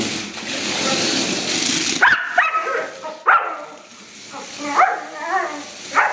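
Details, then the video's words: Rough collie Jessie, a female, barking at a radio-controlled children's toy car, wanting to bite it; after two seconds of whirring motor noise, sharp harmonic barks come about once a second, five in all. "Rough collie barks at a baby car, reaction of a collie dog on baby car"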